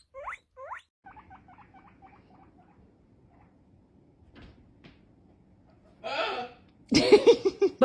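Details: A guinea pig makes two quick rising squeaks, then a run of short, soft chirps that fade out, followed by rustling and loud handling noise near the end.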